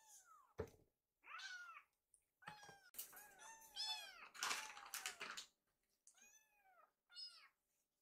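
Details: Rescued kittens, hungry and gathered in a kitchen while their meal is readied, cry in bursts of rising-and-falling meows, several overlapping at once, amid clattering and thuds.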